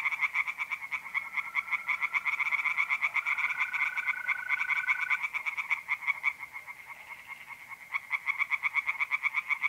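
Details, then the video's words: Mid-April night at a pond in North-East Italy: singing tree frogs produce a dense run of fast pulsed croaks, joined by a smooth sustained mole cricket trill in the first half. "relaxing singing tree frogs in pond"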